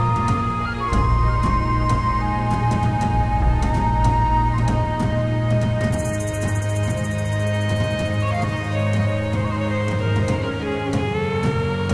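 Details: Dark, droning soundtrack music with low sustained bass and faint high tones, no buzzing of bees audible.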